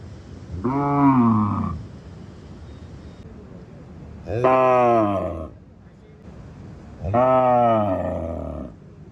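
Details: Village farm cow giving three loud, deep moos spaced roughly three seconds apart, each rising slightly then sagging lower at the end, over a faint background hiss.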